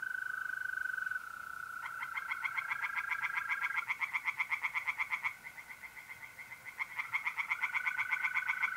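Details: Tree frogs singing in a pond on a mid-April night in North-East Italy: bursts of rapid, harsh pulsed croaks, roughly four per second, start and stop over a steady unbroken trill of mole crickets.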